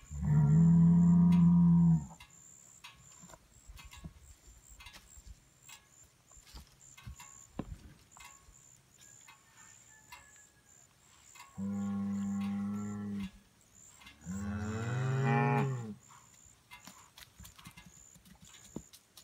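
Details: Hereford and Angus bulls calling to each other: three deep, drawn-out moos of about two seconds each, separated by quiet gaps with faint rustling and clicks, the last bellow rougher and wavering.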